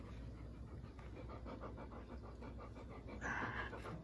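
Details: Dakota, a husky making peace with Carson, pants in quick, steady breaths of roughly three per second, with a brief brighter rasping burst near the end.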